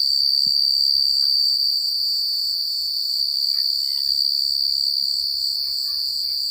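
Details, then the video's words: Crickets chirping at night in a secluded countryside setting, a dense continuous high trill with steady pulsing, joined by faint soft rustles and low murmurs beneath. "The Sound of Crickets at Night"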